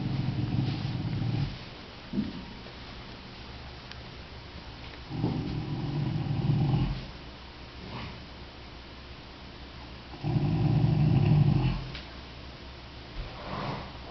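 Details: Gracie, a Percheron mare, asleep and snoring loud enough to be heard from the house. Deep, rumbling low snores come in long drawn bursts about every five seconds, with quieter breathing in between.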